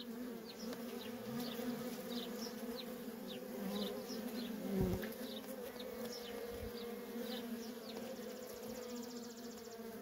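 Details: Worker honey bees swarming busily at a feral colony produce a constant layered drone; high bird chirps dot the background, a dull thud sounds midway, and a fine rapid ticking appears near the end.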